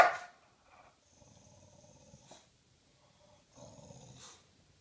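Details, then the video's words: English Bulldog Maxwell growling on a sofa: low, quiet, rumbling growls in two drawn-out stretches after the tail of a bark, with a faint whistly overtone and stillness between. "Maxwell is barking and growling again."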